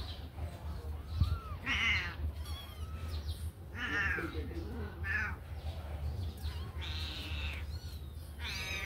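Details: Several kittens just out of their cage and playing mew in short bursts, bright harmonic calls roughly every second, with softer squeaks between and a constant low background hum.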